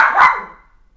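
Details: Butters, a female dog who loves playing with her ball, gives one sharp, harmonic bark lasting under half a second, then falls quiet, while a person tells her to bring the ball closer.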